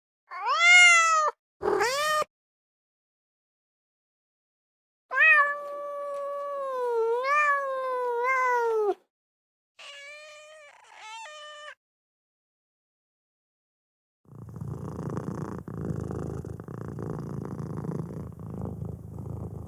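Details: Kitten meowing in a compilation of cute young animals: loud rising-falling meows, a long wavering drawn-out meow, then shorter softer meows, followed by a rough low rumbling noise near the end.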